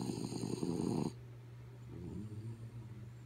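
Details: Asleep, the dog Kaya Boo lets out one rough, rattling snore lasting about a second, then a quiet, wavering whistle-like exhale fades out against a low hum.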